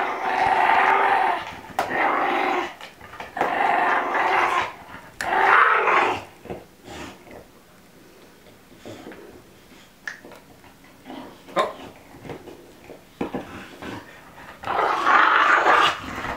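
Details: Elsa, a female Olde English Bulldogge, makes funny noises indoors while a ball is stuck in her teeth: long raspy, groaning growls in bursts of one to two seconds, with quieter clicks and thumps between them.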